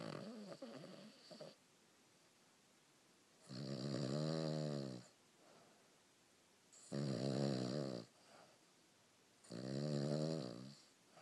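A Cavalier King Charles Spaniel snores in loud, rumbling bursts with quiet breaths between them.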